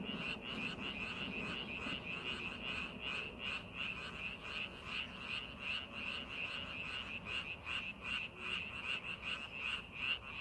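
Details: Frog chorus from rice paddies during preparation for farming, a continuous train of sharp, high croaks repeated almost three times a second, overlapping callers blending together over a soft low background hum.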